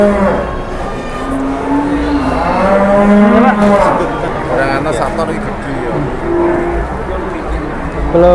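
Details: At a crowded cattle market in Indonesia, jumbo cattle offered for sale give repeated low moos, some short and some drawn out, overlapping one another amid loud human voices and general market noise.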